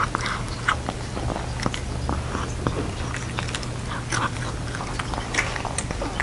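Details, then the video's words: A cat named Jeongsaek, dressed in hanbok, eats a Lunar New Year cat dumpling soup indoors: steady wet chewing and crisp biting clicks, irregular and close, over a low constant hum. "정색이 한복입고 캣만둣국 먹방 [고양이 ASMR/ 이팅사운드]"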